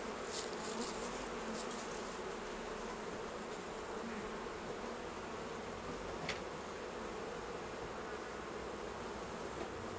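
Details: Dense, continuous drone of many honey bees around hives during the honey harvest at a beekeeping yard, a low even hum with a fainter upper tone and several sharp clicks from handling equipment early on.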